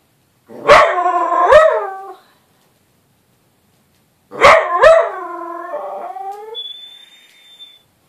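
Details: Lola, a small excitable dog, shouting at Misu, a little Bengal cat, indoors; two long yowling howls with bright harmonic stacks, each opening with a sharp yip and bending upward, separated by a two-second pause, ending in a faint whine.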